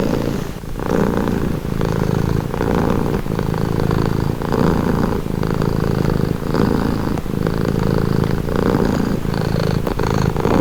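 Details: Domestic cat purring for calm and relaxation, low throbbing rumble in regular breath cycles of about one second, each inhale and exhale marked by brief pauses, close and steady.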